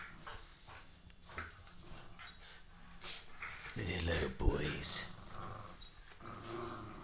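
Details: Border Terrier playing indoors with a Border terrier cross, giving short whining, growly yelps, strongest near the middle, mixed with a woman's voice calling and talking to the dogs in a small room.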